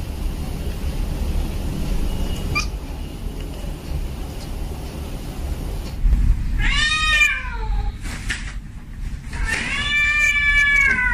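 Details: Cat; mating call; male in heat calling a female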